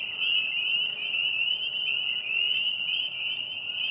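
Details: Spring peeper chorus recorded at a park's vernal pond on April 25, 2020, a constant high-pitched shrilling of many frogs overlapping into one steady, piercing tone.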